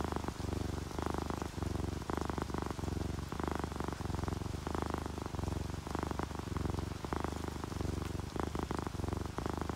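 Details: A sleeping ginger tabby or calico cat gives a loud, gravelly purr in strong rhythmic bursts about twice a second, each breath in and out clearly marked, over a soft hiss of rain.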